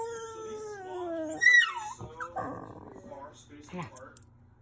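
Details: Rat Terrier in its kennel, settling because a person is downstairs; a long, clear whine slowly sliding downward, then a brief higher yelp and softer muffled whimpers in a small room.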